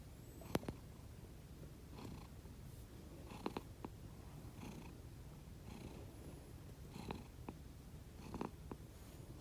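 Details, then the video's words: Two rescued house cats sleeping indoors give quiet, rhythmic snores, different from their normal purr. Breathy puffs recur about every second or so over a low rumble, with a few small clicks. "Snoring cat 猫のいびき"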